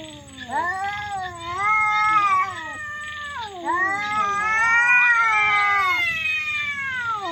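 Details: Cats in a fight, loud and strange-sounding: two long, sliding, wavering yowls, each dipping then climbing to a strained, held wail, the second lasting nearly three seconds and fading at the end.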